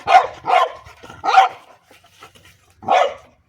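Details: Playful French Bulldog barking at a pipe, giving three rapid hoarse barks in a row, a pause with faint low sounds, then one more bark near the end.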